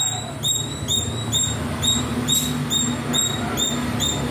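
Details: High, clipped squirrel chirps come in a quick, fairly even rhythm, a little over two each second, as the little squirrel plays in the trees; a low steady hum sits beneath.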